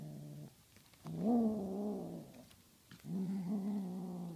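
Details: Tonkinese cat Honey Butter growling while playing with a feathery flying toy: two low, steady rumbling growls rich in harmonics, each about one and a half seconds long, separated by a short quiet pause.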